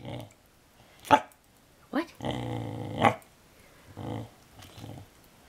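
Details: Female corgi with recent weight gain gives a growly 'talking' vocalization, taken by her owner as 'I love you', instead of rolling over for a treat: a grumbling, harmonic moan lasting about a second, then shorter grumbles, with a woman's voice between.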